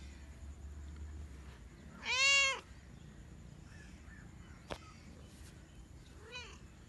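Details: Kittens meowing: one loud, clear meow with rich stacked harmonics about two seconds in, a sharp click near the five-second mark, then a second, fainter meow toward the end over low background hum.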